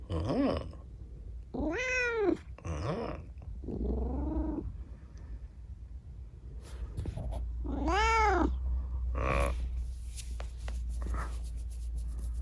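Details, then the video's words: Rescued kitten with an injured, disabled leg after an accident, talking at night: about six arched, harmonic-rich meows of varied length, some drawn out and some clipped short, with a steady low hum beneath. "夜のおしゃべりネコ。Talking cat at night.在晚上说话的猫。"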